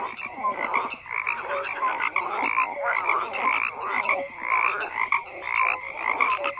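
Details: Many frogs calling at once in a thick, continuous chorus; rough croaks pulse roughly once a second amid a constant bed of overlapping rattles and brief whistled notes.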